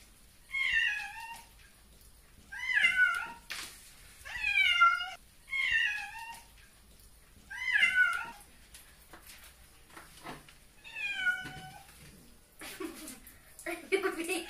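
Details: A domestic cat disliking his bath and trying to get out of the water, meowing repeatedly: six drawn-out, wavering meows about every two seconds, each bending downward at the end, followed by splashing and faint room noise.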